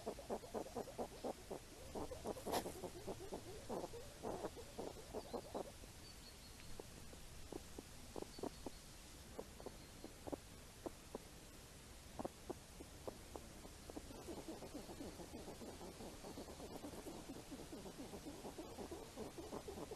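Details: Wild hedgehogs forage for apples in falling rain, snuffling and grunting in a long, uneven stream of clipped pulses, at times dense and rapid, at times sparse, over a constant low rumble with occasional sharp clicks.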